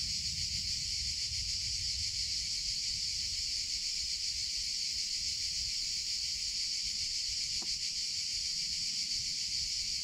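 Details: Cicadas in summer keep up an unbroken, high, hissing buzz that stays level in loudness, with a single brief click partway through and soft low background noise.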